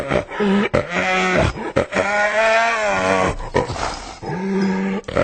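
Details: Hyena uttering loud, continuous, strained harmonic groans and wails in several long bursts separated by short gaps, with a steady low tone under the upper harmonics.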